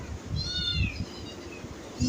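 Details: Domestic cat with a single short, high meow that bends downward, followed by quiet room noise and a faint low knock at the end.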